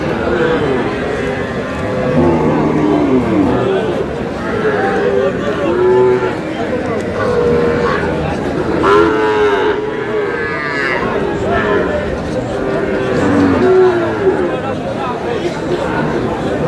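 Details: Sahiwal cattle at a busy livestock market bought by a Meherpur farmer. Many overlapping lowing calls, some short and arched, others long and level, sound continually beneath murmuring voices and market bustle.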